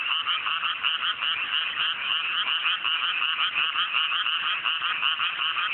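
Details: Large frog chorus in cool mountain rice paddies at night after rice planting, fine weather; rhythmic pulsed croaks, roughly two to three per second, rise and fall in waves over a constant buzzing background.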